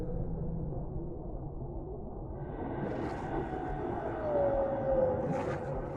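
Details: A whale in the deep sea gives a drawn-out tonal moan that slides gently downward over a deep underwater rumble.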